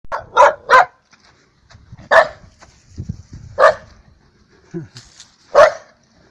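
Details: Energetic rescue dog named Daikichi at a dog run, giving sharp, loud single barks, a quick pair at the start, then isolated barks every second or two, with some human speech between.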